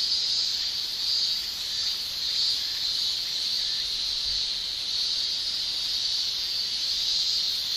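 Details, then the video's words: Male cicadas singing with their tymbals on a summer day in Japan: a steady, dense shrill drone in a high pitch band, holding almost unbroken with slight swells in loudness and no other clear sounds. "Japan Summer Cicada Shrilling"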